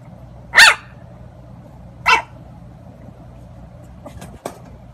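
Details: Puppies at play give two sharp, short barks about one and a half seconds apart, followed by a few faint clicks and taps over a low steady hum.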